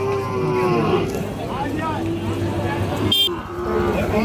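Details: Calves of Sahiwal and mixed breeds, aged six to eight months, for sale at Ambari market, Dinajpur district; short moos and bellows rise and fall amid traders' bargaining talk, with a brief vehicle horn toot near the end.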